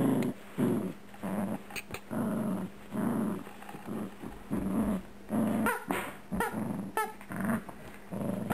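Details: Dixie, a 4-year-old female Yorkipoo (Yorkshire Terrier and Mini Poodle cross) weighing 7 lb, growls while playing indoors with her new rubber chicken toy; low rumbling growls come in repeated bursts about every half second, with a few squeaky toy notes.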